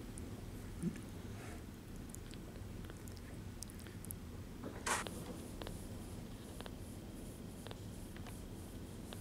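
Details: Bottle-fed foster kittens from a litter taken in on 9/4/18 at about ten days old purr indoors: a low, steady rumble runs throughout, broken by soft clicks and a brief rustling burst around the middle.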